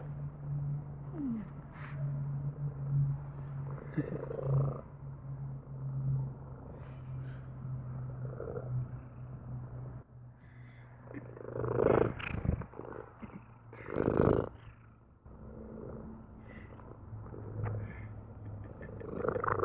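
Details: Purring cat: a deep, even, throbbing hum for the first ten seconds, then quieter purring with several loud rustling or breathy bursts.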